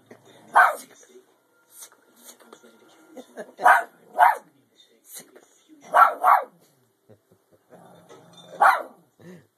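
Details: A Shih Tzu gives sharp, high barks, singly and in quick pairs, a few seconds apart, egged on by people urging her to "get" the cat.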